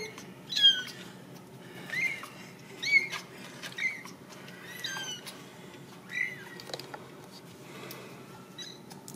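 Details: Several small, high-pitched meows from Ragdoll kittens at a home cattery in central Kansas, each a short rising-and-falling squeak spaced one to two seconds apart against a quiet room hum.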